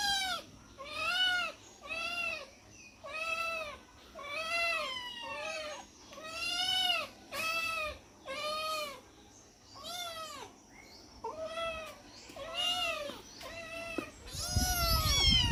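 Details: Domestic cats, four of them, meowing while being fed; about fourteen clear, arched, harmonic-rich meows follow one another at roughly one-second intervals, some overlapping, with a burst of rustling noise at the end.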